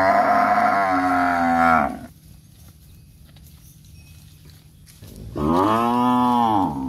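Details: A row of standing cows moos twice, a long steady bellow ending after two seconds, then quiet hum before a second rising, arching moo sets in.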